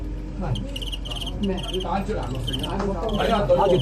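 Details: Fighting crickets in a live match, a traditional pastime: rapid bursts of high chirping repeat about three times a second over loud Cantonese commentary and crowd chatter.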